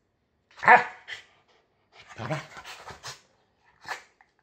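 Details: An inexplicably annoyed female corgi, burning off the day's energy before bedtime, gives short, grumbling, bark-like vocal bursts and then falls quietly asleep.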